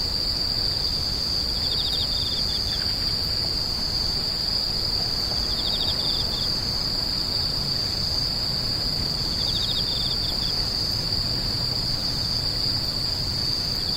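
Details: Continuous shrill insect drone holding one high pitch throughout, broken by three brief trills of quick pulsed chirps spaced several seconds apart, over faint low background noise.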